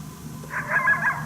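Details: Unseen wild coyote barking during a coyote hunt at St-Andrews on 1 March 2019, displeased at a person's presence; one short, strained yelping bark rises and wavers briefly over a low background hum.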